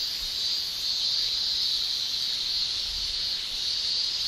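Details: Summer cicadas in Japan, males singing by buckling their tymbals. The shrill drone is continuous and high-pitched, with only slight swells in intensity and a faint low rumble underneath.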